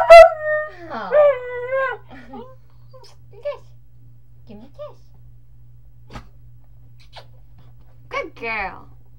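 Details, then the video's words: Puggle dog howling alongside its owner indoors: a drawn-out wavering howl that slides downward, then shorter broken yelping notes, and a final rising-falling howl after a few seconds of near quiet. "Puggle Marley loves to howl"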